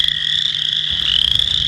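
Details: Western chorus frog played back for contrast with a bullfrog: a short high, rapidly pulsed trill that holds steady and then rises slightly near the end, with a faint low hum beneath.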